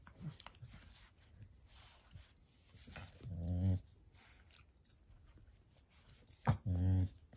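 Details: Playful Dachshund, a sausage dog, giving two low, harmonic woofing barks about three seconds apart, each lasting under half a second, with soft household rustling and quiet background noise between them.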